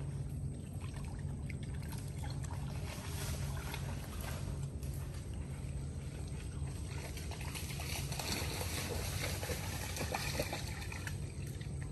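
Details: Steady splashing and trickling water over a low, constant rumble like a boat engine, with no clear animal calls.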